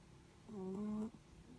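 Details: Sleeping Netherland Dwarf rabbit snoring: a single soft, tonal, slightly whistling breath lasting about half a second, rising a little at the end, in a quiet room.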